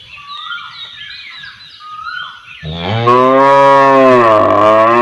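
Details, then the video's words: Cow in a village area gives a loud, long, drawn-out moo in the second half, steady and slightly falling in pitch, after a stretch of small birds twittering and chirping in the background. "Cow Sound Effects Mooing Mooing"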